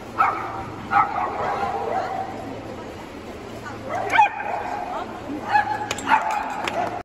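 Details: Agility dog at the VI Agility Baltic Cup jumping round, 20 February 2022, barking in short clipped yaps spaced about a second or more apart, with a constant low hum and crowd noise underneath.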